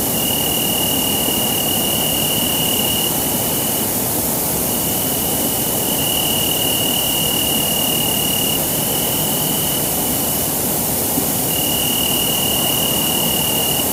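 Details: Three crickets, different individuals at different frequencies and intensities, sing a steady, high, ringing trill with brief breaks over a strong background hiss, recorded with an AudioMoth recorder.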